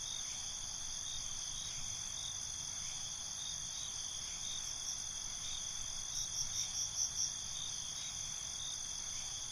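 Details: Crickets at night in binaural night ambience: a steady high shimmering trill runs throughout, with a short burst of five or six quick, louder chirps near the end over the constant background chorus.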